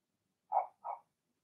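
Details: Double yip from Blenheim Cavalier King Charles Spaniel puppies in their indoor puppy pen, Remy's first litter of six: two quick, high puppy barks in rapid succession within half a second.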